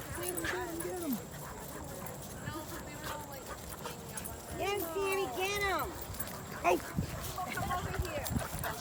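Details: Basenjis Zulu, Zinga, Zaza and Keeska playing together at a dog park, giving wavering, rising-and-falling yodel-like cries around 4.5 to 6 seconds, with people calling to the dogs and talking over the play.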